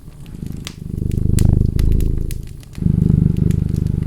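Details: Steady purring from a cat, a fast low vibration rising gradually, dipping briefly and returning strongly, with crackling firewood popping throughout.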